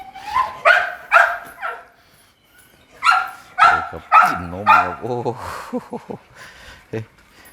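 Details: Grown pit bull puppies barking indoors: sharp, broadband barks in quick clusters, three near the start and four more a second later, overlapped by a man talking in Thai.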